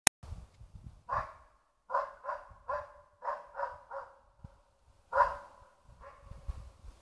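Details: West Siberian Laika baying (ståndskall) at a moose cow with her calf: a volley of about ten sharp, ringing barks, some in quick pairs and triples, with short silent gaps and a click at the very start.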